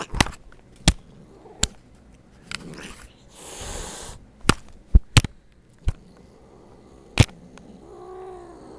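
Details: Peppercat, a domestic cat described as not happy, gives one loud breathy hiss lasting under a second, then a short harmonic wail near the end, amid sharp knocks and clicks scattered through the recording.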